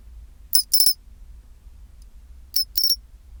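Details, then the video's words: Two crisp phrases from a pine cricket at 24 °C, two seconds apart, each a single sharp high chirp followed by a ringing bell-like trill: the chinchirorin song, over soft low hum. "チンチロリン Sound of pine cricket"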